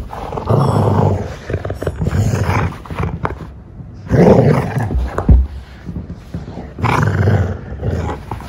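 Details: Treeing Walker Coonhound in hunting-style play, reacting very seriously; deep, rough growling and roaring in three long bursts, near the start, around four to five seconds and again near the end, with quieter rumbling between.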